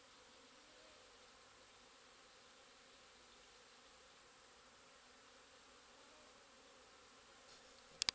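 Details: Busy bees recorded on 17 April 2010, a soft continuous hum of many wings, even and unchanging, with two brief clicks at the very end.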